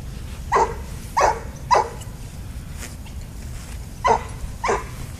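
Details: Small dog at a park fence line, excited at other dogs on the little dog side, barking in short sharp bursts: three quick barks, a pause, then three more, over low steady background rumble.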